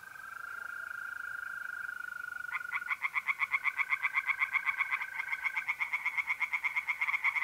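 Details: Pond chorus of tree frogs on an April night in north-east Italy: fast, regular pulsed croaks, around four each second, building after a calm start where only the even, unbroken trill of mole crickets is heard.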